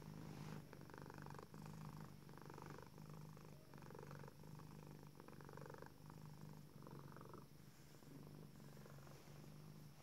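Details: Female tuxedo cat purring with satisfaction and contentment while stretching her front paws in her favourite cat tree indoors; steady low rumbling purr like a little motor, with rhythmic inhale-exhale pulses roughly every second.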